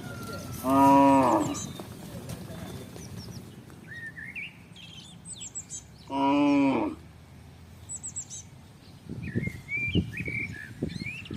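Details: Village cattle herd crossing a housing estate in search of grass and water; two loud, harmonic moos about five seconds apart, each under a second long, with chirping birds in the background.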